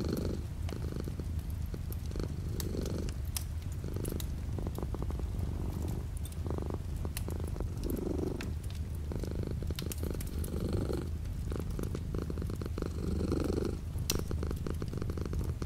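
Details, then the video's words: Cat purring beside a window with light rain outside: continuous deep rumble rising in gentle surges roughly every two seconds, overlaid by dense clicking raindrops and a faint background hiss. "The sound of a cat purring with light rain outside the window"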